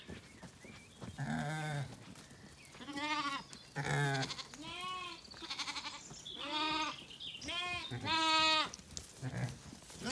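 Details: Zwartbles sheep on a farm in County Kilkenny, Ireland, after feeding at sunset: a lamb calls and a ewe answers as the flock settles for the night. About six wavering, harmonic bleats come in turn, with soft low rumbling calls between them.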